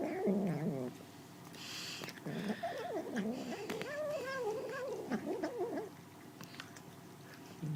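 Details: A kitten makes wavering, moaning mews and murmurs, rising and falling in pitch, while eating.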